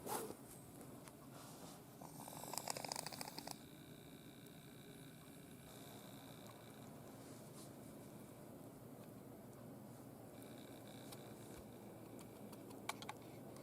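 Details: Michael, a father cat from a stray family taken in by a household, snoring deeply while asleep, past ordinary breathing into full snores; soft low rasping breaths under a steady indoor hum, with a brief rustle near the third second.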